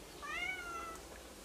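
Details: Kitten, a Turkish Angora cat, meowing at home while waiting for its older brother caretaker who has been in hospital for a week: a single clear rising-then-falling meow lasting about three quarters of a second, quiet room.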